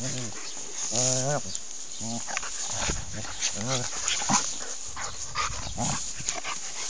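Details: Alaskan Malamute making short, wavering, tonal woo-like calls with a rising and falling pitch, repeated in several bursts over about seven seconds, with outdoor background noise and possible human voices mixed in.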